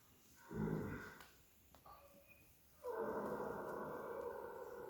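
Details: Horse snoring while asleep: a short, rough, breathy burst near the start, a quiet pause with faint rustles, then a long, steady, harsh snore filling the last two seconds, low and noisy with hissing overtones.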